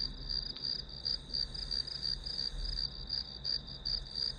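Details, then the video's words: High, even trilling of grass insects, pulses coming roughly three per second, with a faint low background hum, set as a study soundtrack. "풀벌레 소리"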